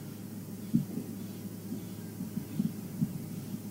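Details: A low, steady rumbling hum with soft irregular thumps, like an idling engine or a handled microphone, and no animal. A brief knock sounds at the very end.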